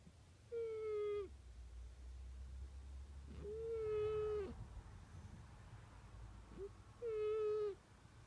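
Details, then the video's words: Snoring cat, louder than a man, sounding three level, nasal whistled tones roughly every three seconds as it breathes, each ending with a quick drop, over a continuous low rumble. "Snoring cat"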